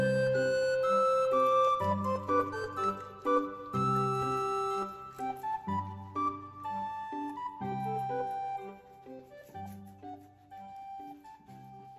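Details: Keyboard music with organ-like sustained chords and a steady rhythm; no animal sounds. Only the instruments can be heard throughout.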